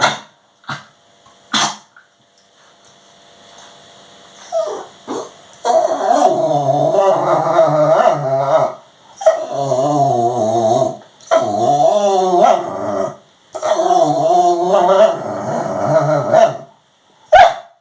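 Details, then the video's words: Labradoodle dog begging for its owner's dinner, making a string of drawn-out, wavering, moaning 'talking' noises in bursts of one to three seconds, with short yips and clicks before and after. "Labradoodle dog wants some dinner funny noises talking"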